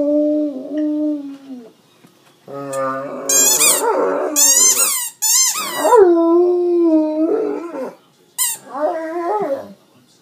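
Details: Great Dane pet howling after squeaking his toy: long, mournful, wavering howls with rich harmonics, some rising and then sliding down, broken by sharp, high, squeaky toy squeals in the middle and once more near the end.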